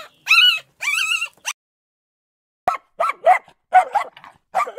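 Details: Puppies: two high, wavering whining cries and a short squeal, then after a quiet gap a quick series of short, sharp yips and small barks.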